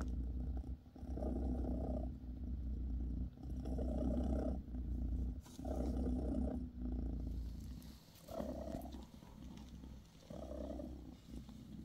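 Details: Close, resonant purring from Bassy, a British Shorthair mother cat massaging her kittens; rhythmic rumbling surges about every two seconds, growing shorter and softer toward the end, with light rustling.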